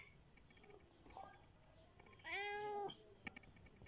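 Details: Large domestic cat crying when hungry, kept at home: one loud, level, drawn-out meow with rich harmonics lasting about half a second, surrounded by quiet background hiss and faint clicks.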